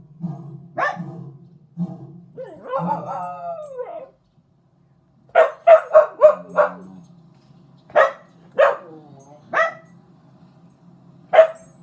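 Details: Young rescue dog, a one-year-old chihuahua, pitbull, German shepherd and terrier mix, reacting to a lion: low woofs, then a short falling howl with bright harmonics, followed by bursts of sharp repeated barks separated by brief pauses.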